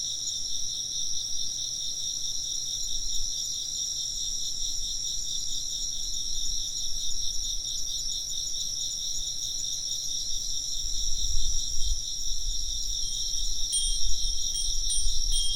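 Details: Insect voices alongside occasional wind chimes; a steady high pulsing chorus of many chirping insects runs throughout, with bright chime-like tones ringing near the end over low rumbling noise.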